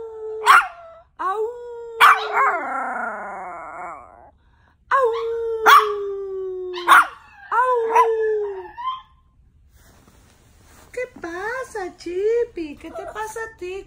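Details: 2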